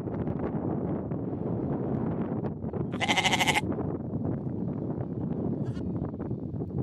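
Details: Sheep on a village farm: one loud wavering bleat of about half a second stands out above a constant dense rumble of flock movement and noise, with a brief fainter bleat later.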